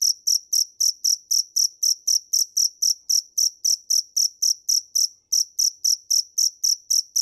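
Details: Rapid, regular cricket chirps, each a short shrill pulse burst, repeated almost four times a second with one short break late in the sequence; quiet background otherwise.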